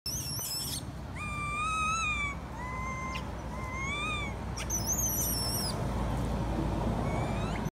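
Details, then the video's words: Baby female monkey crying loudly, imploring its mother to come and nurse it, possibly unwell: drawn-out tonal wails, flat or gently arching, repeated roughly every second, with shrill high squeals near the start and middle over a steady low rumble. "Poor baby monkey crying implore mother comes taking care and nursing her"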